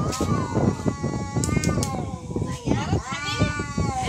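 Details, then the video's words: Fighting cats trade long, harmonic caterwauls that swoop up and sag back down, repeated across the stretch, while people talk nearby. "Real cat fight |Fighting cats|"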